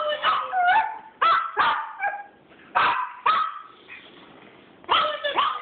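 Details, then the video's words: A singing dog pack, several dogs giving short yelping, whining cries in overlapping bursts of two or three, tones bending up and down, with brief pauses between bursts and no other sounds. "Singing dog pack"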